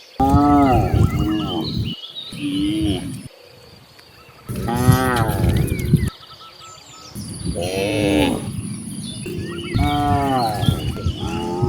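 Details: Cows roaming freely across open countryside, mooing repeatedly: four long, deep, harmonic moos a couple of seconds each, separated by quieter pauses, with faint birdsong behind.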